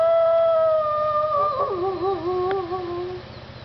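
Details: Wolves howling together at Parc Oméga on 7 March 2013, several voices overlapping: long smooth tones that waver and break into rapid quavering near the middle, then fall and fade, with a steady low hum throughout.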